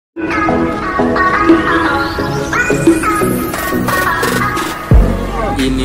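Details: Upbeat electronic music with a rising synth sweep and some speech plays throughout, with no animal sound heard.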